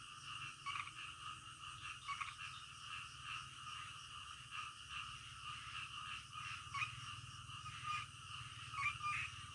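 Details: A midnight frog chorus, dense and continuous, with many overlapping rasping croaks blending into a steady throbbing din beneath a thin high background buzz.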